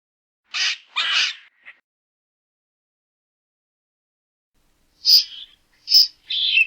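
A squirrel calls in brief, scratchy, high-pitched bursts: two quick rasps, a pause of several seconds, then three more. Each note is coarse and buzzy rather than whistled, and the background is otherwise quiet.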